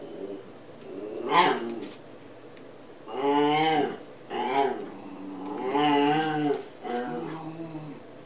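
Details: Benji, a Cairn Terrier, talking to his toy dinosaur indoors: a series of drawn-out, warbling, moaning whines and grumbles, rising and falling in pitch, several seconds long with short pauses between.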